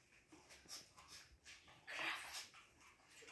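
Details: Siberian Husky, described as sad on its last morning at home, indoors: a short, high, strained whimpering whine swelling about two seconds in, amid faint room noise and nearby human speech.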